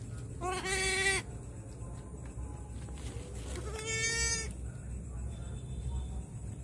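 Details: Goat bleating at night around the birth of triplet kids. Two clear, nasal, quavering bleats, each under a second and about three seconds apart, rise above a constant low hum.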